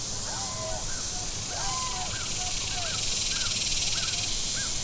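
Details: Cicadas on the shore of Table Rock Lake, southern Missouri, on a very warm Saturday: a steady, hissing high drone runs throughout, over low boat rumble, with repeated short arched chirps from birds in the middle range.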